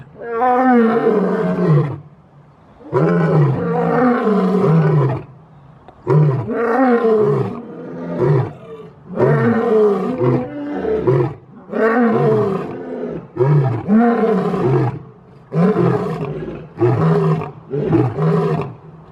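Deep, throaty roars come from a lion in a steady series, each rasping burst lasting around two seconds before a short pause. The roaring serves as a display of dominance.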